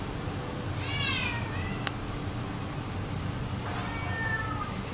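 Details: Adoptable Domestic Shorthair cat, recorded in January 2012; one loud arched meow is followed by a sharp click, then a softer, flatter meow near the end against a steady low hum.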